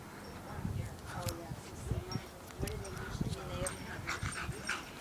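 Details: Playful dogs running wild give a run of thin, wavering whines and whimpers that rise and fall, mixed with rustling, thumps and people talking in the background.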